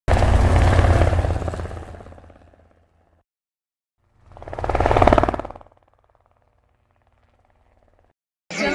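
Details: Two loud passing vehicle roars, the first fading out and the second swelling then dying away, with a low engine hum and no animal sound.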